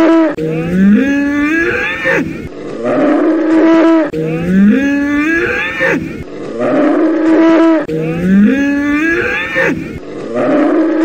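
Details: Bull bellow repeated three times, roughly every four seconds; each call climbs from a low grunt into a long, loud, rasping moo with strong overtones, apparently a looped sound-library recording.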